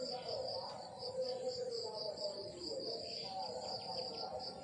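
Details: Morning countryside crickets giving an even series of high, pulsed chirps, close to four per second, continuing without break over a faint low hum and some soft mid-pitched background sounds.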